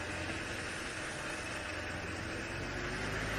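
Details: Steady broadband rumble of a safari vehicle engine during an evening drive in the African wilderness, with no animal voices heard.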